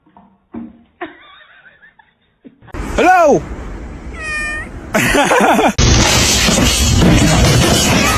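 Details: A domestic cat meows loudly, a clear rising-then-falling wail, followed by a high tonal sweep and a second shorter meow, then loud broadband rushing noise.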